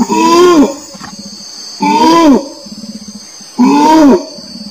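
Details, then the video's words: Orangutan giving three drawn-out calls that start steady, then bend downward at the end, rich in overtones, spaced nearly two seconds apart, with a high continuous buzz and low rhythmic pulsing between them. "SUARA ORANG UTAN (suara binatang)"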